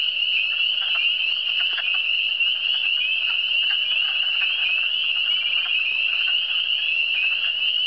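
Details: Chorus of frogs from the Eastern Townships, a continuous shrill ringing of many overlapping high trills, unbroken from start to finish, with a few softer lower notes popping through.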